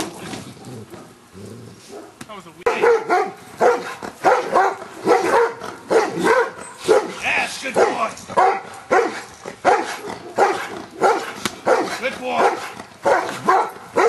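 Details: Giant Schnauzer Luther barking repeatedly through Schutzhund stick hit training; after a quieter opening with a voice, a long run of evenly spaced harsh barks follows.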